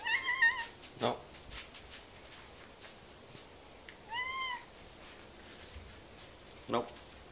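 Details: A curious domestic cat meows several times indoors, short harmonic calls near the start and a clear rising-falling meow midway, mixed with brief clicks and a person speaking.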